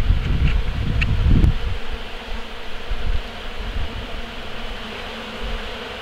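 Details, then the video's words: Bees up close cleaning leftover honey from honey collection equipment after harvest, carrying it back to their hives; a low, dense droning buzz with louder surges in the first second and a half, then a steadier hum. "Bees cleaning the equipment"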